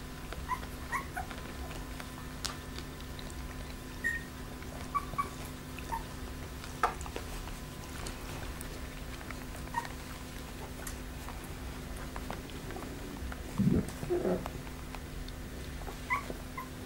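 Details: Pembroke Welsh Corgi puppies from the A litter of the Preberry kennel, sired by Čičiko out of Danny Toivu My Delight: scattered faint, high squeaky whimpers, then a brief low grumbling growl near the end, over a steady electrical hum.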